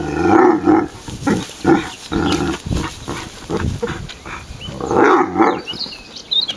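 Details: Pet Irish Wolfhound Leon sounding off in displeasure, nervous at an unfamiliar iron object; a continuous run of loud, rich, bell-like groaning and yowling tones that rise and fall in bursts.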